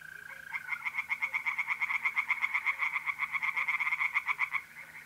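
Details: Pond tree frogs in north-east Italy, mid-April at night, give a quick series of about four pulses per second for roughly four seconds, with a continuous mole-cricket trill humming beneath.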